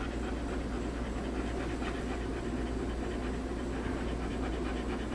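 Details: An adopted Greyhound named Nitro, a former racer called Atascocita Egor, panting while he eats pasta at home. Quick rhythmic breaths run steadily through the whole stretch, with a constant low electrical hum underneath.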